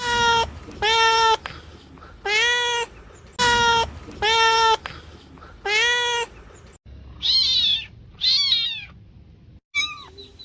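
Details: Domestic cat meows, compiled to attract cats: a series of clear, steady harmonic meows roughly every second, then several higher, arching, more urgent meows toward the end, against a quiet background.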